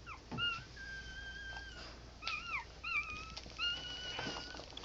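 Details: Newborn American Pit Bull Terrier puppies from a litter of six females and five males, about ten hours after the last was born, giving thin, high whistled squeals and whines, some long and level, others bending up and down.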